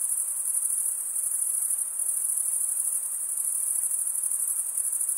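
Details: Crickets chirping at night in a summer forest: a dense, unbroken high-pitched shimmer that holds steady throughout, with a faint softer hiss lower down and no other clear sounds.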